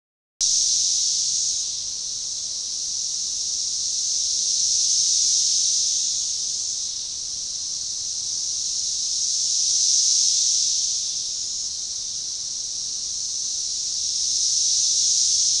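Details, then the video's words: Periodical cicada Magicicada tredecassini, many insects in organized, synchronizing chorus at a baseball trail forest edge near DeValls Bluff, Arkansas, June 7, 2015: a steady high hissing drone swelling and fading together roughly every five seconds. "Magicicada tredecassini organized chorus"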